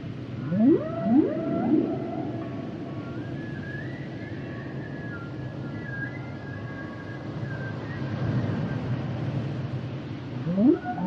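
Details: Underwater humpback whale song opening with a rapid pair of rising swoops, then long wavering higher tones gliding through the middle before another upward sweep at the end, over a continuous low sea rumble.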